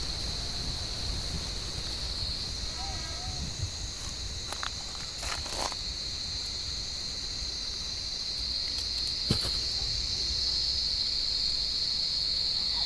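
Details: Warm-evening cicada chorus in an olive tree while cats hunt among the branches: continuous shrill buzz at a steady pitch, growing louder toward the end, with a few soft rustles, footsteps and quiet distant voices.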